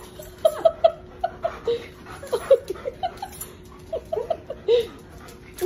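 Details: A dog whimpers in short, high, squeaky yelps, some bending up or down, coming in irregular bursts several times a second over a faint steady hum.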